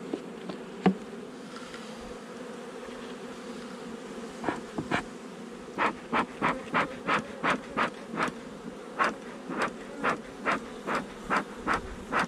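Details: Honey bee colony buzzing during a hive inspection on 8 July 2020, the nuc installed over a month ago; a constant drone overlaid by a run of quick, regular puffing thuds, roughly three per second, in the second half.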